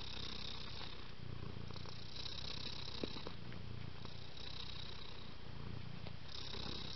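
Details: Domestic cat purring: a steady low rumbling throb continues throughout, with a soft hiss in the upper range.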